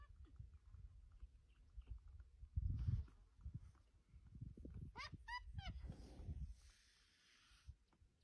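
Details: Rhinoceros calf in the wild on an African safari, risen from beside its resting mother and nudging her, calling to urge her to stand so it can nurse: a brief run of high, squeaky, wavering squeals midway, over low rumbling background noise.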